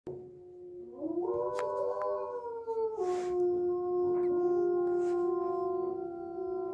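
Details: Three wolves at a quarantine centre howl in chorus with long, smooth notes that slide up, then hold steady and overlap into a sustained, harmonising wail.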